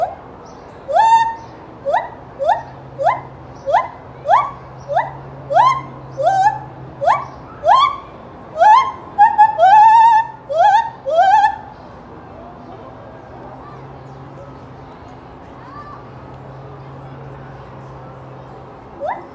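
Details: A gibbon at Knoxville Zoo, Tennessee, gives a run of loud, rising whoops that quicken and build to a warbling climax.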